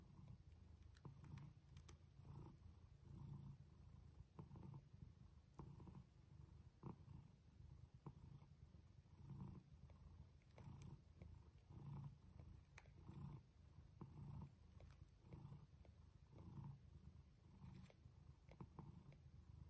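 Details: Female house cat Jaco in labour at home, delivering kittens of differing colours; low pulsing purr runs steadily beneath scattered small clicks and shuffling sounds.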